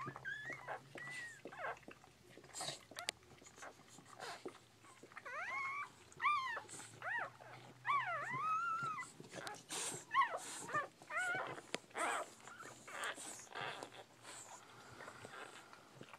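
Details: Newborn Bull Pei puppies squealing indoors, a series of arched, rising-then-falling whines clustered between six and ten seconds, repeated roughly every half second, amid clicking suckling noises and rustling, with quieter whimpers trailing toward the end.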